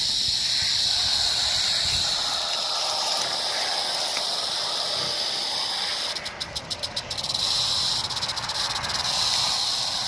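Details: Rattlesnake recorded on 1 July 2018: a steady, dry, high hissing buzz of rattling runs through nearly the whole stretch, briefly broken and stuttering around the six-second mark before resuming.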